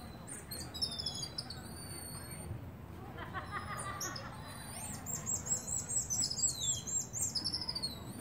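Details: Communicating common marmosets: high thin whistles and chirps open the sequence, a brief softer mid-pitched chatter follows, then a rapid burst of repeated sharp chirps with descending whistles over a low hum.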